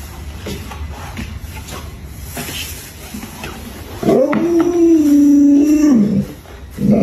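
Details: Pet Alaskan Malamute Luoluo, in a hide-and-seek game with its owner, gives a sustained howl of about two seconds that holds steady then drops, after a stretch of quiet room noise, with another cry starting at the end.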